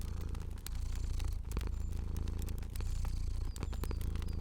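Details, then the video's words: A cute fluffy cat sleeps and purrs in a cozy setting. The low vibrating rumble rises and falls in soft waves. Frequent snaps and crackles of a burning fire sound alongside it. "Cozy Purring Cat & Crackling Fire Sounds"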